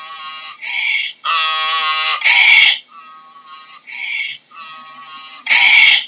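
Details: Braying donkey, its call rocking back and forth between loud strained high notes and quieter lower honks, repeated several times over six seconds.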